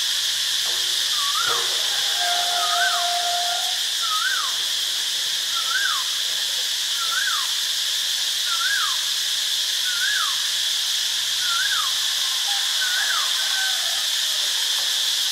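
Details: Cicadas in Ubon Ratchathani, Thailand, on 25 March 2022 give a steady, high, hissing drone, with a bird's short whistled note repeating in the background.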